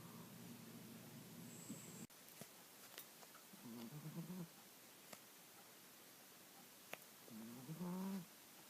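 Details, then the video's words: Mr. Jigilo, a pet cat also called Jiggy, snoring while asleep: low droning breaths of about a second, with a quieter stretch before two louder snores, plus faint clicks and ticks in the room. "Snoring Mr. Jigilo the Cat"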